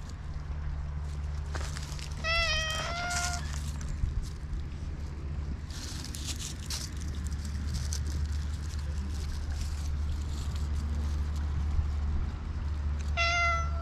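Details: Black stray cat giving short meows, one near the start as a quick pair of mews and another at the very end, separated by a long stretch of steady low hum and rustling noise.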